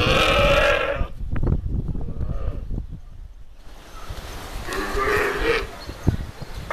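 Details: Camels at the Cyprus Camel Park, fighting or perhaps mating; a loud, harsh, harmonic bellow opens, then thuds and scuffling, then a second hoarse groaning call.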